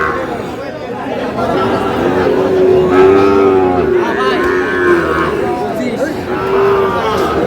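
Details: Sahiwal bull calf lowing at a market on 23 June: several medium-length moos, the strongest near the middle and another near the end, under constant crowd chatter and men bargaining.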